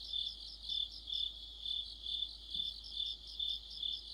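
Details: Insect chorus led by crickets in autumn: shrill, high, even trilling that throbs in regular waves roughly twice a second, with no other sounds.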